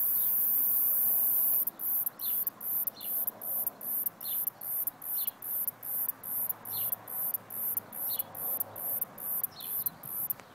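A cicada gives a shrill, continuous buzz that breaks into rapid rhythmic pulses about twice a second.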